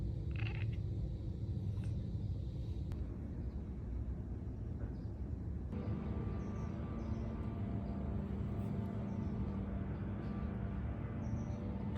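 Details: A steady low rumble like a passing vehicle fills the recording, joined partway through by a faint steady hum. No animal call stands out.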